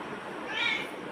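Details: Bagira, a black pet cat chatting back to its owner, makes a brief high-pitched mew that swells and drops away within a fraction of a second, over soft room noise.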